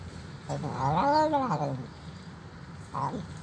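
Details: Very hungry old feral cat crying for food at a doorstep. One long, wavering meow swells and fades over about a second, then a short clipped cry follows, with a low hum underneath.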